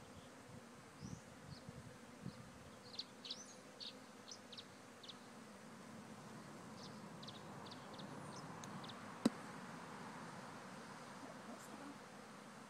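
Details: A honeybee swarm from one of Friendly Haven Rise Farm's hives during an easy relocation, giving a continuous low buzzing drone; scattered high bird chirps sound early on and a single sharp click comes near the end.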